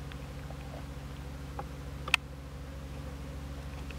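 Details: Japanese honey bees at a tiered box hive on 27 March 2015 while a new box is added beneath, giving a steady low droning hum with a few faint clicks and one sharp knock midway.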